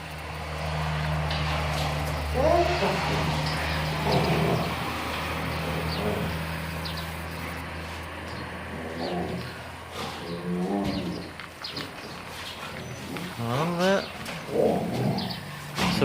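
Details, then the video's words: Kangal puppies Gölge and Duman meeting for the first time after a curfew lockdown: a series of high, wavering whines and yelps in short bursts, over a steady low engine drone, with people talking nearby. "Yavru Kangallar Gölge ve Duman ile sokağa çıkma yasağından sonraki ilk buluşmamız"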